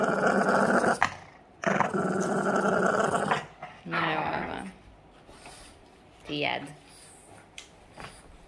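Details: Boston Terrier named Yoda growling during play; two sustained raspy growls open, followed by shorter whiny, rising vocal bursts and quieter gaps, with a woman speaking Hungarian in the background.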